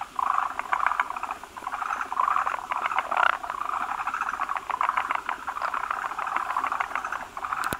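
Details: Forest green tree frogs at a breeding site, many males gathering around a large egg-laden female that lays a foamy egg mass; a dense chorus of rapid clicking, chuckling pulses, overlapping and repeated in bursts.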